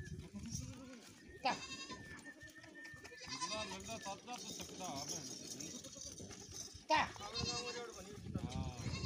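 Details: Goat near a canal where one crossed overhead and a kid fell into the water; two sharp, trembling bleats stand out at the start and near the end, separated by quieter talking voices.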